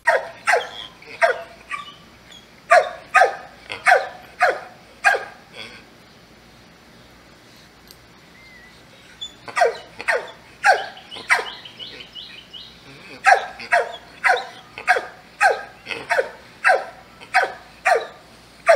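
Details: Dogs barking loudly in three bursts of rapid, sharp barks with short pauses between bursts; quiet background between runs of barks.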